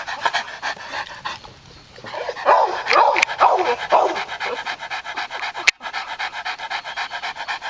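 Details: A purebred Japanese Tosa Inu during mating. Rhythmic breathy panting roughly twice a second, with a brief louder burst of strained, whining breaths midway, then the steady panting resumes.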